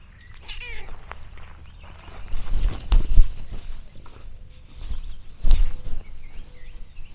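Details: Orange tabby cat Lexi on a countryside farm lets out a brief, high meow near the start, followed by rustling, soft thumps and a few faint bird chirps outdoors.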